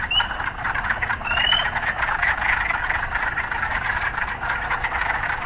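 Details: Urban frogs: two quick rising chirps open over a dense, ongoing croaking chorus that continues steadily, with low background rumble from the city.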